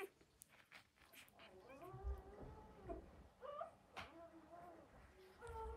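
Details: Newborn Belgian Malinois puppies, part of a litter of twelve, held briefly in a box while their playpen is cleaned, crying and whining as they do when hungry or hurting: several overlapping arched whines rising and falling in pitch, with soft thumps and bumps.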